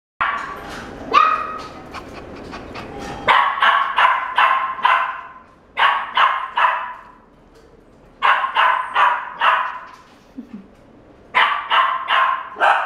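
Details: White male Shiba Inu born 17 June 2016, first giving a few higher yelps, then sharp barks in quick bursts of three or four, with short silent gaps between the bursts.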